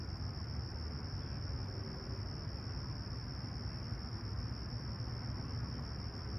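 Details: Crickets at a clear, calm summer sunrise in Toronto's Humber Bay Shores, July 28, 2020, about 20ºC: a steady, high, unbroken shrill trill runs through the whole stretch over a constant deep low rumble.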